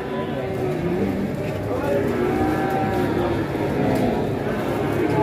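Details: Lowing from a herd of very tall, heavy cattle as they arrive, with low, sustained moans rising and falling amid constant talk from people standing around the animals.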